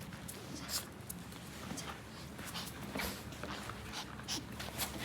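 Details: Maltichon dog named Rang-i, riding along to work with its owner, gives soft breathy panting and snuffling bursts scattered through the few seconds, with a faint thin whimper, over a steady low indoor or vehicle hum.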